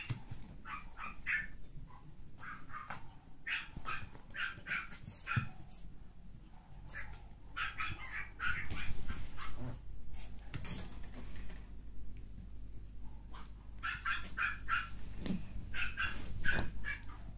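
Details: Male pug born on 2 April, giving repeated short, high whimpers in quick bursts with gaps between them, amid rustling and clicking handling noises.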